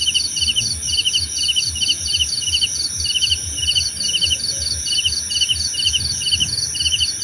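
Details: Cricket chirping for relaxation: evenly spaced, quick pulsed chirps, each a tight burst of several clicks, run through the whole stretch. A steady shrill tone continues above, and a faint low murmur sits below.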